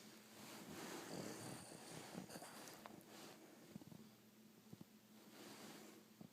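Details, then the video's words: Boston Terrier snoring: long, rasping, noisy breaths swell and fade in two drawn-out waves, with scattered soft snorts and clicks between them over a steady low electrical hum. "Snoring Boston Terrier"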